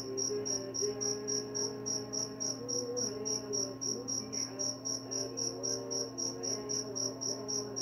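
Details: Cricket chirping steadily, with high, bright pulses repeated about three to four times per second in an even rhythm. Faint wavering lower tones and a constant low hum run underneath.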